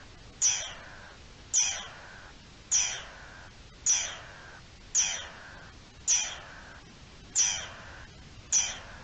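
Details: Garden dormouse sounding the alarm, dated 03-04-21: eight harsh, descending shrieks at an even pace of just over one per second, each a sharp high onset fading into a throaty hiss, with little else audible.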